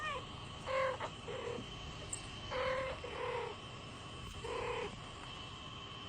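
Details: Kitten named Kisa, a pet cat watching other talking cats, with four short, level meow-like calls in two pairs, each under half a second, over a steady electrical hum and soft room noise.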